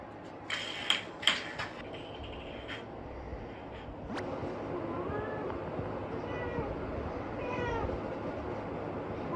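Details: Pet cat indoors, giving several soft, short meows that bend up and down, grouped near the end over a steady background hiss, after a few sharp clicks and knocks earlier on.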